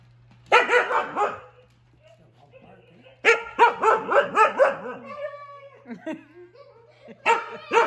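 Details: Siberian huskies Juno and Echo, uncertain whether frightened of or playing with Dash the toy robot, bark in three bursts of rapid harsh barks, with a thin whine and softer yips in the pauses between them.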